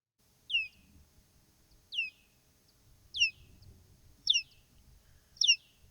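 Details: Big brown bat (Eptesicus fuscus) echolocation calls, normally inaudible and made audible by a device: sharp, downward-sweeping chirps repeating about once a second. Returning echoes tell the bat whether food is available.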